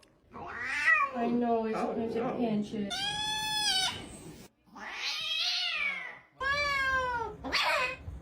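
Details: Cat meowing in a series of long, tonal cries that rise and then fall, separated by brief silences, with voices and other sounds mixed in underneath.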